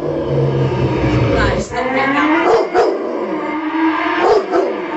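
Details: Rottweiler howling at a motorbike's sound: a few brief sliding howl notes and abrupt yips, with a low rumbling engine tone underneath.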